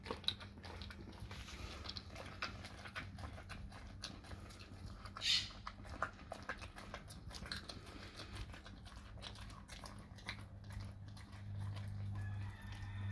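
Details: A dog chews raw cow tongue in a small room with soft, irregular smacks and crunches, a brief louder squelch partway through, and a steady low hum that swells near the end.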